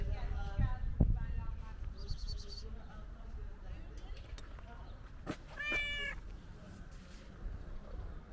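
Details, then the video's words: Stray tuxedo cat meowing while being petted: a drawn-out, harmonic-rich meow near the end, fainter meow-like calls at the start, with handling noises, clicks and some human voice in the background. "Petting A Cute Meowing Tuxedo Cat"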